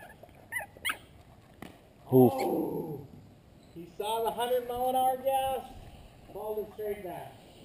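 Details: Female pug puppy, newly brought home in 2012, gives drawn-out, high, nasal whines lasting over a second, then a shorter whimper, with a person talking nearby and brief rustling.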